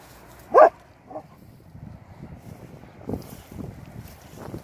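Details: Old English Sheepdog twins out in the fields, with one gruff bark early on followed by a softer bark and quieter rustling and panting sounds.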